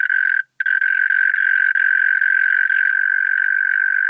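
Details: A European mole cricket in Pabing, Austria, recorded 31 May 2021, produces a sustained, even churring trill, interrupted only by one brief gap near the start and otherwise continuous throughout.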